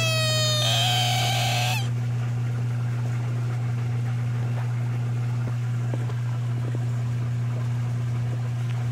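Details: American bullfrog scream: one high, strained, harmonic wail lasting about a second near the start, then only a constant low hum and a few soft ticks.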